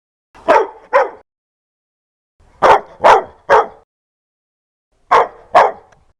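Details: Dog barking fiercely and loudly, in three bursts of two or three harsh, broadband barks with short pauses between groups; no other sounds.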